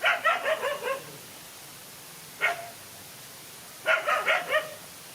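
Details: A lone dog fights two male dogs: a quick burst of five yappy barks, one isolated bark, then another rapid flurry.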